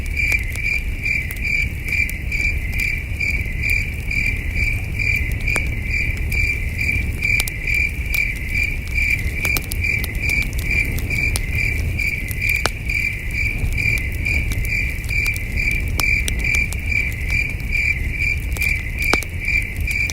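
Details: Under a million stars at a wilderness camp, crickets keep up an unbroken night chorus of high, evenly repeated chirps, about two to three each second, with occasional campfire pops and a faint low rumble.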